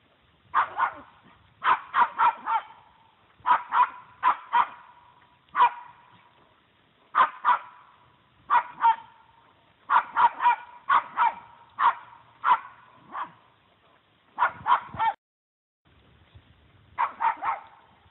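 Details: Small female Puggle barking at a deer that refuses to run away; sharp, high barks in quick bursts of two to five, repeated steadily through the whole stretch with brief pauses, little else audible.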